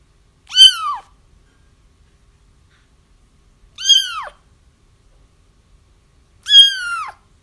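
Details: Three sharp kitten mews, high and downward-curving, spaced about three seconds apart, recorded as crying kittens to help trap a feral mother cat.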